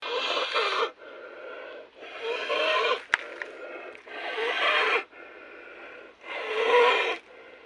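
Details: Cattle with snoring disease breathing noisily: harsh, raspy, broadband snores alternate with quieter rasping breaths, about one every two seconds, with a single sharp click midway.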